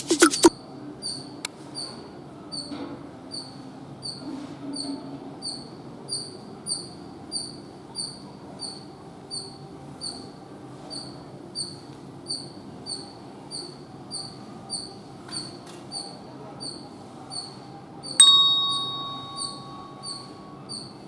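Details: A squirrel calls in a steady run of sharp, high chirps about twice a second. A brief loud knock opens the clip and a short tonal ring enters near the end.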